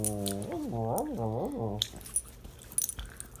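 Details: A Cairn terrier answers its owners' questions, 'talking' with a warbling, rising-and-falling whine-howl in three wavering swoops.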